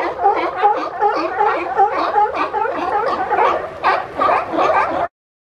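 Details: Pushy, boisterous sea lions piling together in Monterey Bay, California, seeking space to rest all day; rapid hoarse barking pulses from several animals overlap for five seconds, then stop abruptly.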